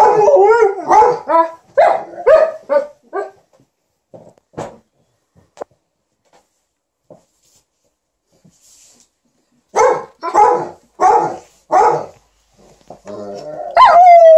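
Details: Liza the Alaskan Malamute and TJ the Golden Retriever "talk" indoors to entertain their owner as she irons; bursts of yowling, bark-like talking with a quiet gap in the middle, then a high rising whine at the end.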